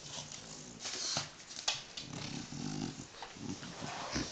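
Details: French Bulldog Tyson shredding newspaper indoors, giving low, throaty grunting growls in the second half, layered over sharp bursts of tearing and crumpling paper.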